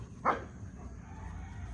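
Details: Belgian Malinois dogs at rough play, two against one and biting each other; one short, sharp bark sounds early, followed by a steady low rumble of background noise.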